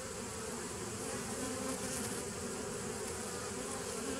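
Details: Continuous humming of honey bees, recorded 27 September 2018; a thick, even buzz with a steady low drone and wide hiss throughout, nothing else standing out.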